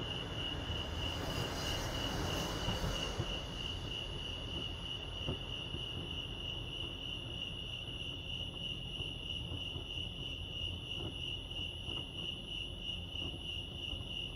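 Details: At Lake Arrowhead in California, crickets keep up a continuous high pulsing trill. A loud broadband rushing noise swells over the first three seconds, then fades, leaving the even chirping over a low background hum.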